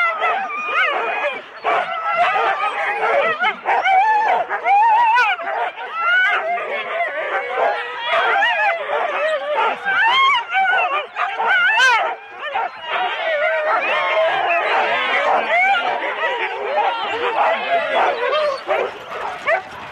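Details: Four-dog Husky teams at a January 2016 sled start in Rendlesham, captured on analogue cassette: a dense, unbroken chorus of excited yips, barks and howl-like whines from many dogs at once.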